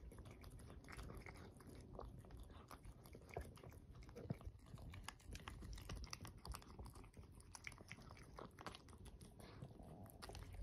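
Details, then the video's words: Two indoor pet cats, Roi, a male Russian Blue, and Rui, a male LaPerm, eating canned food. A steady run of wet chewing, biting and crunchy clicks fills the recording, with soft low handling noise beneath. "猫たちが缶詰のご飯を食べる。Cats eat canned food."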